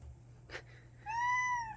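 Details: A pet cat gives a single short meow indoors, a clear arched tone that rises and falls over under a second, after a brief faint click; the cat is described as coming up crying like this and then attacking.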